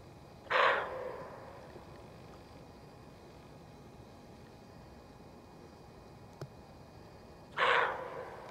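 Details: Alarmed female roe deer in a forest barking to warn of danger, one of many repeated barks: two harsh, raspy barks about seven seconds apart, each with a fading tail, over a quiet background with one faint click.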